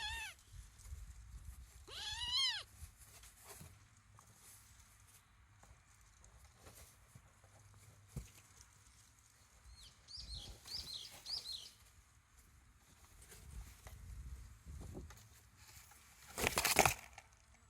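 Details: Young kittens, 23 days old, give a short downward-bending mew early on, then a cluster of faint high squeaks, with soft low rumbling and a loud rustling burst near the end.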